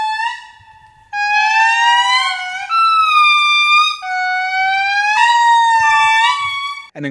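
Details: Indri (Indri indri) family groups sing back and forth to one another in an early-morning Madagascar forest: long, trumpet-like wailing notes that slide upward and hold, rich in overtones, echoing like humpback whales.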